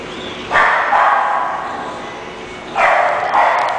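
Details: English bulldog barking: two loud, broad, rough barks about two seconds apart, each held briefly, over steady background hiss.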